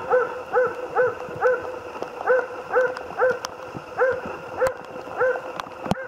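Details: Jämthund Otis on a moose hunt, giving steady repeated barks about twice per second, each bark a short rising-falling yelp, with a faint hiss and occasional sharp clicks behind.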